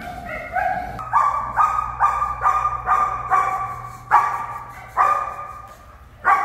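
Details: German Shepherd female protection dog barking in a steady series of loud, harmonic barks, about ten barks over six seconds with a short pause near the end.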